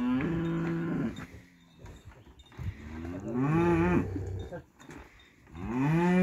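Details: Montafon breed cattle on a livestock farm, lowing repeatedly: a level, droning moo, then a rising-and-falling call, then another moo swelling at the close, over a low background rumble.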